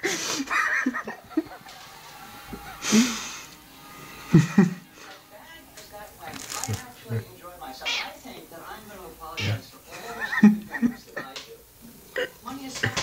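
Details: Domestic cats fighting over food give low, wavering yowls and growling caterwauls in short bursts, mixed through steady human talk and some laughter indoors.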